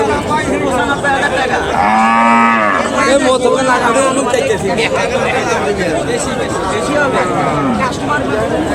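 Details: Cattle at a Qurbani livestock market in Sonamukhi, Kazipur, Sirajganj, Bangladesh, heifers on sale for Eid; one long low moo with rich harmonics lasts under a second amid steady crowd chatter and speech.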